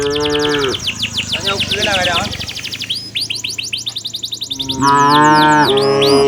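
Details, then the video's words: Herded village cows heading home to their pen in the afternoon: a brief low moo opens, followed by busy high chirping birds, then a louder, sustained moo rising slightly and held over a second near the end. "suara sapi lembu berjalan menuju ke arah kandangnya"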